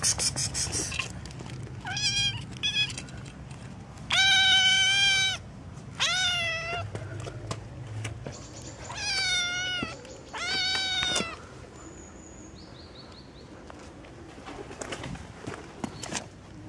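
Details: Kitten, likely a street kitten, giving loud, insistent meows, several long harmonic-rich cries in quick bursts with short gaps, strongest in the middle stretch, over a low background hum.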